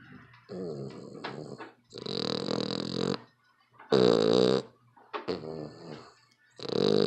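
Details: Loud snoring from a sleeping dog, with rough, throaty rattling breaths about a second long, coming in quick bursts with short quiet gaps, and a low electrical hum beneath.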